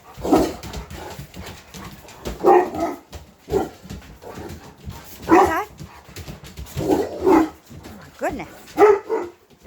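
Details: English Mastiffs from a pack of six huge gentle pet dogs talking back: a string of drawn-out, woo-like vocal bursts roughly every one to two seconds, rising and falling, with a human voice also audible indoors.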